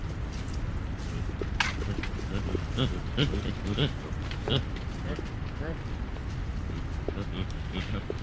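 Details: Chacma baboon troop grunting while feeding: a run of short, deep, throaty grunts comes about every half second through the middle stretch, with rustling and a few sharp clicks around them.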